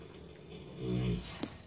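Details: A 4-year-old Paso Fino gelding asleep at night, snoring as it does every night: one low, rasping, droning breath swelling in the middle of the clip, then a brief soft click in a quiet setting.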